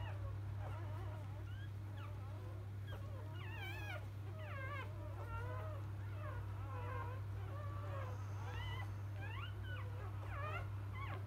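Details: Several newborn Labrador Retriever puppies of field type, born to the champion dam biscuit, whimper and squeal continuously. Wavering, bent whines overlap at irregular intervals over a steady background hum.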